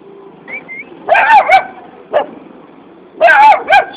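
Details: A puppy asking for a biscuit lets out a thin rising whine, then two bursts of quick yapping barks, each burst a double yap, with a short single bark between them.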